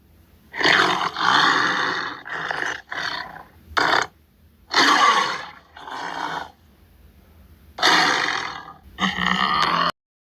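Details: Rasping tiger growls come in irregular clusters of coarse, throaty bursts, short and longer ones mixed, with quiet gaps between groups.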